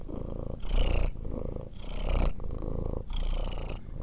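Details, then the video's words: Cat purring close up, deep buzzing rumble that swells and fades with each breath, roughly three cycles in four seconds, the louder phases rougher and fuller. "Ronronnement Du Chat"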